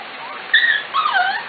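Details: Corgi puppies 5-6 weeks old, three litters together in a barn in the morning. Two high, drawn-out whining yips, the first arching and falling, the second wavering downward, over a steady hiss.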